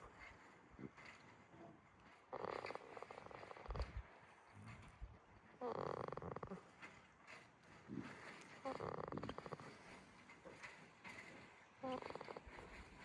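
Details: Snoring goat Jitta, asleep at Yoshigake Farm in Himi, Toyama Prefecture, Japan: a series of rasping, vibrating breaths roughly every three seconds, some longer and rattling, others short puffs, in a calm, quiet farm setting.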